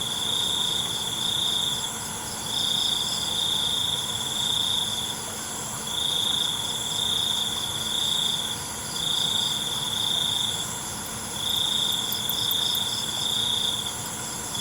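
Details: Crickets calling after dark: bright, high-pitched trilled phrases, each around one to two seconds long, repeat at a steady pace with brief pauses between them over a continuous thin hiss.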